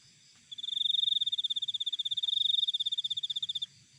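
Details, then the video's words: Natural cricket chirping: one steady, high-pitched trill of quick regular pulses lasting about three seconds, swelling slightly in the middle, against a quiet background. "Cricket Sound Effect"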